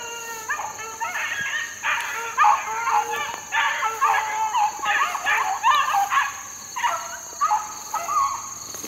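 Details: Four-month-old Beagle pups working in the wild in 2013, chasing a rabbit: overlapping harmonic yelps and bays from several young hounds in quick bursts, with a steady high-pitched hum throughout.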